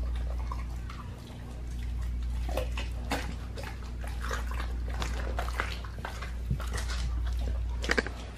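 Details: Raw-fed pit bull gnawing a raw leg of lamb, dense moist crunches and squelching bites growing sharper midway, a few louder snaps near the end, low steady hum underneath.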